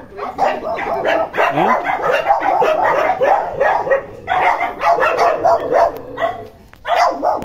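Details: Excited Indian dog greeting its owner after a 13-month separation: dense, high-pitched yelps and whines with some rising squeals, coming in close bursts with short gaps, and a few human voices mixed in.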